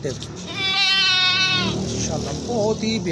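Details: Nagri Beetal goat on a goat farm in Pakistan gives one loud, strained, wavering bleat lasting about a second, followed by human speech and faint background music.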